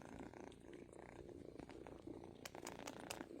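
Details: Strong purring from two kittens, an even throbbing buzz that runs without a break, while a woman speaks quietly and ticking noises sound near the end.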